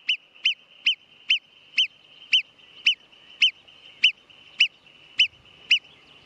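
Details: Marmot giving a series of about thirteen sharp, high whistled calls, each a brief rising-falling note repeated roughly every half second, over a faint steady high tone and otherwise quiet background.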